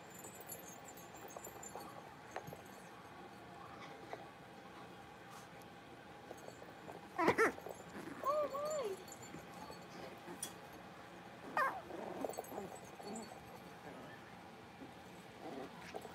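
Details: Five young blenheim Cavalier King Charles Spaniel puppies, born at New Year's, playing together in an indoor puppy pen; a few short high yips and a wavering two-note whine rise briefly above a steady low hiss.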